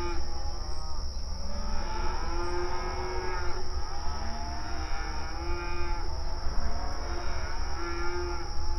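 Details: Open range cattle grazing on outdoor pasture, mooing and communicating with each other: several drawn-out, arching moos overlap across the clip, with a steady low rumble and a constant high electronic whine beneath.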